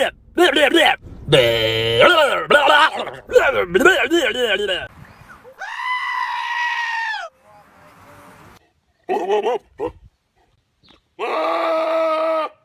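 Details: Goat bleating described as weird: after human laughter and screaming, two long, steady, nasal bleats sound, each lasting over a second, with a short bleat between them and quiet gaps.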